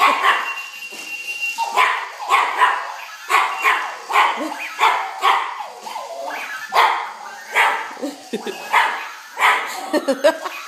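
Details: Scared puppy reacting to a runaway alarm clock, letting out a rapid string of high yelping barks, roughly two per second, over a constant mechanical whir.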